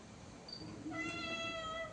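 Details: Cat giving one drawn-out, steady, tonal meow lasting about a second, indoors, with a woman speaking Bengali close by.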